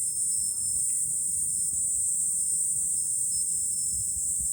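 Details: Summer cicadas in July, heard from an elevated lookout over Fukuoka city, Japan, a continuous intense high buzzing with faint, thin tonal notes and quiet low wind murmur underneath.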